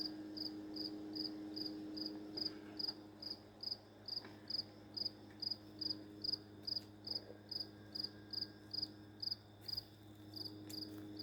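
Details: One cricket near an open door that has chirped nonstop for about three days; brief bright chirps tick along at a steady pace, roughly two per second, above a low steady hum and occasional soft knocks.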